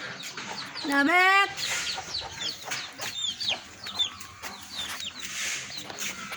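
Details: Pet cat stuck high up at the top of a tree, being coaxed down: one loud drawn-out harmonic meow, slightly rising, about half a second long, with small birds chirping and a person speaking nearby.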